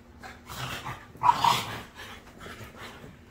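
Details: ['Indoor nighttime zoomies between two French Bulldogs, a black male and a red fawn female: one short, harsh growling bark burst during rough play, with softer huffs around it.']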